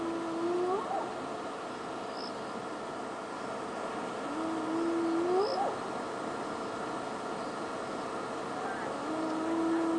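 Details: Spotted hyenas whooping in the background at night during a safari drive on February 20, 2016, giving low drawn-out calls that sweep upward, repeated every few seconds.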